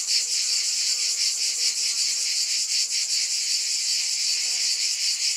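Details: Massed cicadas produce a constant piercing buzz with slight rhythmic waver, while a faint lower hum runs underneath the shrill insect chorus.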